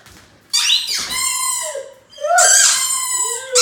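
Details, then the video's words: Mikey, a 9-month-old male Great Dane, howls at his own reflection in a mirror while playing with his ball; high, squeaky harmonic yowls in two long bursts, slurring downward in pitch, with a brief rising note at the end. "Funny Great Dane howls at himself in the mirror"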